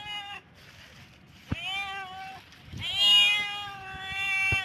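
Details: Cat in heat giving long, wavering, high-pitched meows that bend upward and hold, the last one loud and sustained, with a couple of sharp knocks in between.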